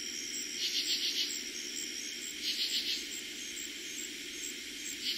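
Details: Summer 2021 night in eastern Pennsylvania with katydids calling, the first night heard that season: rhythmic rasping bursts of three or four pulses recur about every two seconds, backed by an unbroken high-pitched cricket trill.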